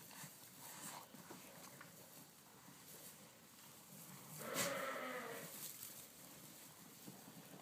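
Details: Lamb stealing milk from ewes other than its own mother; one short, harmonic bleat rises briefly about halfway through, set against steady rustling and shuffling farmyard noise.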